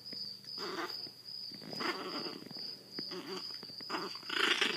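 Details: Seven-week-old Chihuahua Zada, blind from hydrocephalus and rescued from a Fort Worth, Texas animal shelter, makes soft, wobbling low grumbles in several short bursts, with a faint steady tone behind.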